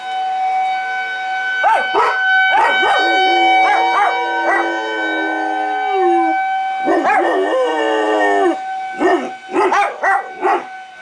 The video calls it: Howling to the Tornado Sirens with White German Shepherd Sony HX9V